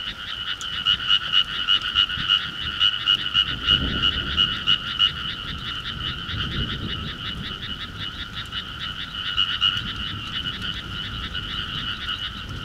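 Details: Summer countryside frog chorus of many callers, a steady fast train of rasping, pulsed croaks with a bright ringing overtone, joined by a deep low rumble around the fourth and seventh seconds.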